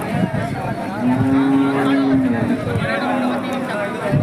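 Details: Hallikar cattle at the KG temple market, India: a single steady, level moo lasting over a second, then a fainter shorter low, over busy market voices and background noise.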